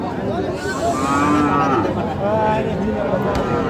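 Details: Thin, bony cows at Aftabganj cattle market on 25 November 2025; a drawn-out low moo rises and falls under dense crowd chatter and busy market noise.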